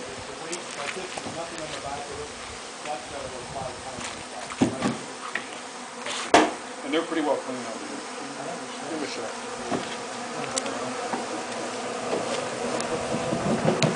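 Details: A real honey bee hive being harvested for honey at Wellspring gives a continuous low buzzing drone, broken by sharp knocks and clatter from hive handling around the midpoint.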